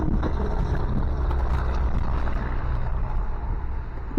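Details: Loud steady low engine-like rumble with no animal sound heard.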